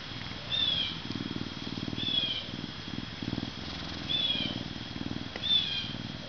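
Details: Deep throbbing purr from Max, a 40.5-pound male Canada lynx ambassador born at a zoo in May 2011, rising and falling in bursts, punctuated by a few sharp high chirps and a steady high-pitched hum.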